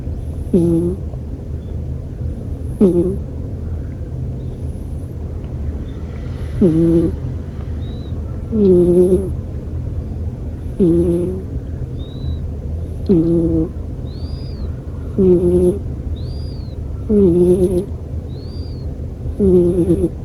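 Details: Snoring American Shorthair pet cat, with regular harmonic, nasal breath sounds about every two seconds. Faint high chirps come in between, over a low steady rumble.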